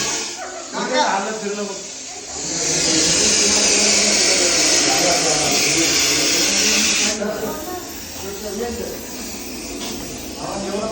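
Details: Large Russell's viper found settled in a parking area during a snake rescue, hissing as a warning when people come close; a long, loud, breathy hiss lasts about four seconds, with people talking in Marathi before and after it.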